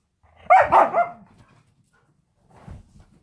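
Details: Husky indoors during a play fight lets out one harsh, loud bark-growl lasting about half a second, followed by quiet and a soft low grumble near the end; a person speaks just around it.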